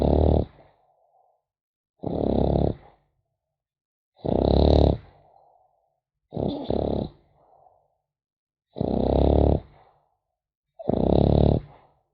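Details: Sleeping French Bulldog puppy with a regular snore: six gravelly, low, rasping breaths about two seconds apart, some ending in a faint whistling wheeze, quiet room between them.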